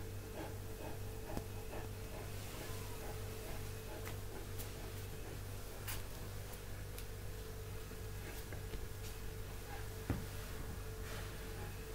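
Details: Steady low hum and faint ticking clicks fill a quiet indoor room, with no animal calls.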